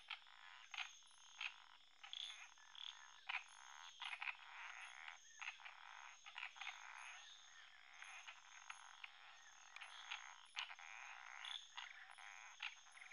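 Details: An Indian frog gives territorial, intimidating croaks in dense, rasping bursts over a steady high insect-like whine.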